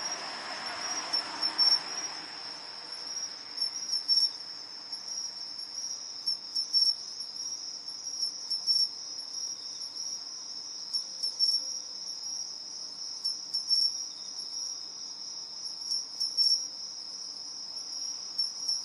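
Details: Two pine crickets calling back and forth in competition: short bright chirping bursts roughly every two to three seconds over a steady high continuous insect trill, with a soft low rustle near the start.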